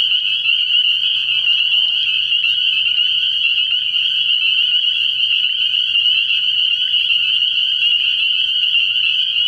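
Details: Early-year frog pond at night filled with spring peepers: a constant, piercing wall of high peeping notes from many frogs, steady throughout, with one faint lower grating call in the first two seconds.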